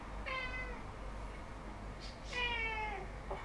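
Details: Domestic cat indoors on a table: two clear falling meows about two seconds apart, a soft rustle between them and a voice starting at the end.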